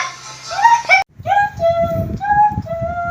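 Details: Sung melody over music with a brief break near one second; no animal voice is heard.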